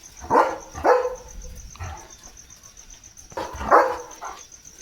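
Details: Leo, a German Shepherd, gives three sharp barks, two close together near the start and one after a pause, with a steady high cricket tone running underneath during a thundery, rainy spell.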